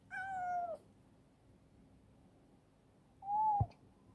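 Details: Two clear meows from rescued female black stray cat Chibikuro, now affectionate and eating well in a warehouse. The first is longer and drawn out, the second shorter and level, in a quiet indoor space at mealtime.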